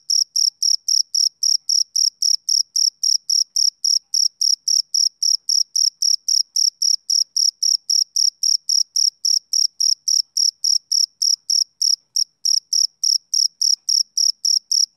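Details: Male cricket chirping on a summer evening: a steady train of short, high, pure chirps repeated nearly four times a second, even and unbroken, with no other sounds.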